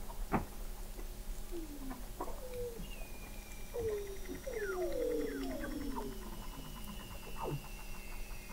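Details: Weddell seals calling under the sea ice at McMurdo Sound, Antarctica, in November 2017, 21 m below the ice: a cluster of quick descending whistles and warbling sweeps, with sharp clicks and a faint high whistle sliding downward.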